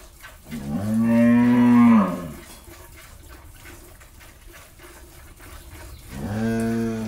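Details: Farm cow of Jersey-Mundi cross breed from Pabna, Bangladesh, after her first calving, with a bull calf beside her. She gives a strong bellowing moo lasting about one and a half seconds, a quiet pause, then begins a second moo.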